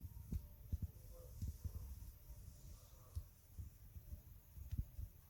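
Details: Boston Terrier named Laura dozing in her owner's arms indoors, snoring softly: low, short snorting puffs recurring irregularly, roughly every half second to second, in a quiet room.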